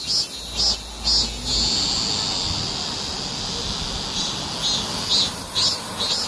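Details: Cicada singing during a summer heatwave: loud, shrill, high buzzing pulses roughly twice a second, surging and fading over a continuous high-pitched drone, with faint low rumble in the background.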